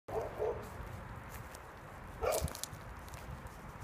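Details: Dog giving two short barks close together near the start, then a single louder bark about two seconds later, over a low background hum.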